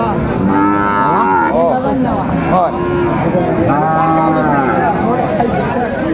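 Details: Sahiwal bull calves traded at Aftabganj haat in Dinajpur, Bangladesh, 1 July 2025, with few animals brought in that day. Repeated bending, swooping moos fill most of the stretch against background voices.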